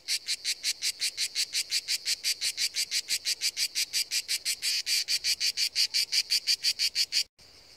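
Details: Seaside cicada song: rapid, regular, shrill buzzing pulses, roughly five each second, continuing evenly before stopping abruptly near the end, leaving faint hiss.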